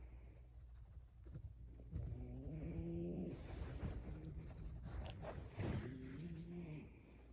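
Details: Sleeping puppy, tickled, lets out two low, wavering grumbling groans, each about a second long and a few seconds apart, over close rustling and breathing.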